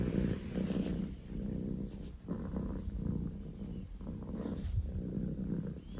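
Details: Poko J, a male Scottish Fold kitten, purring loudly; low rumbling bursts separated by short pauses, rougher and less steady, with a few faint higher clicks and rustles.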